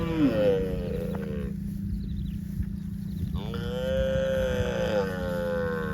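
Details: Two long lowing moos from a cow roaming in the fields, each sliding slightly downward in pitch, with a quiet pause between them and a constant low hum underneath.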